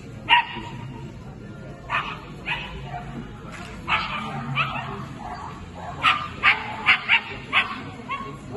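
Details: Female Scottish Terrier competing at the 2022 Swiss Agility Championships, with scattered yappy barks that bunch into a rapid burst of five or six near the end, amid crowd murmur and faint voices.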